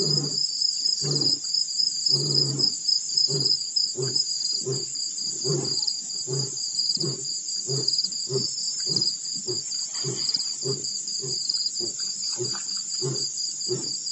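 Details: Male lion at Pete's Pond, Mashatu Game Reserve, Botswana, roaring after rolling in the dirt on December 4, 2016: a long series of deep, grunting pulses, roughly two each second, over a steady, shrill insect chorus.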